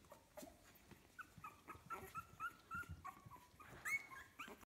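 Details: Puppies 15 days old from a kennel litter, giving a run of short, high whimpers and squeaks, several brief rising and level tones in quick succession, some overlapping, with soft rustling and shuffling underneath.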